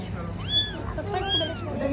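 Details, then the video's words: Mother cat caring for her kittens: two short high arched mews, each rising then falling, over low household hum and a few soft background voices. "Cat caring her babies"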